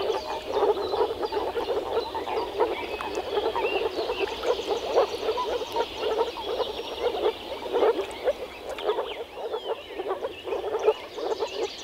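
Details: Breeding moor frogs, the males croaking through vocal sacs in an early-spring forest pond; overlapping soft, hollow croaks form a steady murmuring chorus, occasional louder individuals, and faint birdsong behind.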